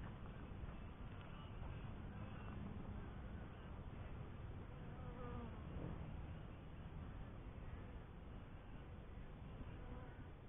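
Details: Steady murmuring hum from honey bees in a first hive, low and broad, with faint higher buzzing streaks flickering over the drone and no clear pauses.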